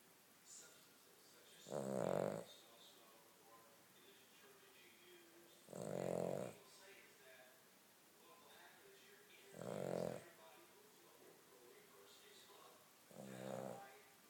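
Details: Asleep Cavalier King Charles Spaniel snoring in a slow rhythm, four rumbling, raspy breaths roughly every four seconds, with faint background murmur between them.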